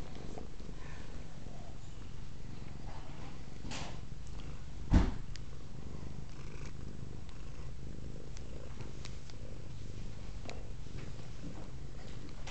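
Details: Continuous low purring from Velvet, a pet cat described as a purr monster, recorded indoors; the steady rumble runs the whole way, broken once midway by a sharp knock and scattered faint ticks.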